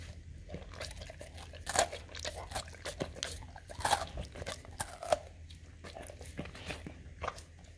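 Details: English cream golden retriever, a male pet, eating a big slice of watermelon as a dessert treat indoors: crisp, wet crunches and bites in uneven bursts, with louder snaps near two, four and five seconds over a low steady hum.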